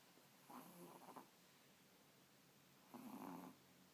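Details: Cat snoring while fake sleeping under the bed covers with eyes open; two soft, breathy snores about two and a half seconds apart, each lasting under a second, in an otherwise quiet room.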